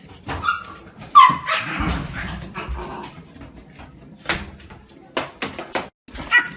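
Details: Shiba Inu dog outdoors during ball play and fetch training, giving short high whimpering yips amid rustling and handling noises, with a sharp clatter near the middle and a few brief thumps toward the end.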